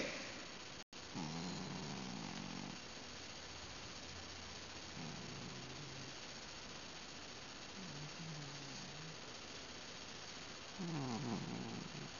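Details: Ben the house cat, drowsing or asleep while petted, lets out four short, low, murmuring grunts spaced a few seconds apart, the last one wavering and slightly louder, against a steady hiss with a brief click early on.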